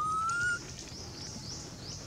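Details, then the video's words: A hungry baby monkey named Anissa calls her mom: one short, pure whistled cry that climbs gently, then fades into a background of repeated high buzzy insect-like pulses and soft outdoor noise. "Anissa Crying Very Poor Calling Her Mom | Baby Monkey Is Super Hungry Milk"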